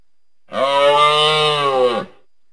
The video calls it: moose bellowing,grunting and calling sounds